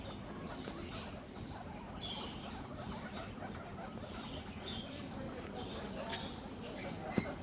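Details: Guinea pigs wheek and squeak as soon as the owner enters, faint short high squeaks over a steady rustling background.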